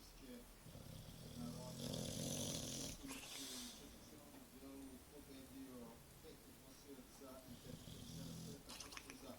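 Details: English bulldog named Churchill snoring in Bijeljina in May 2012. Rough, rasping breaths that swell into a loud noisy burst near the middle, then settle into steadier wheezy snores, with soft human voices underneath.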